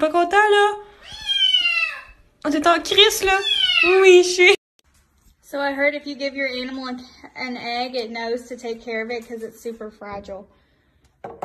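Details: {'caption': 'Domestic cat meowing indoors in a small room: a few drawn-out, falling meows in quick succession over the first seconds, followed by a stretch of steady human voice with clear harmonics.'}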